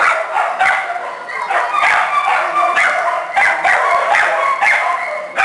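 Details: Kennel of small shelter dogs and puppies in full voice: rapid, overlapping, high-pitched yaps and thin yips, some whimper-like, running without pause for the whole stretch.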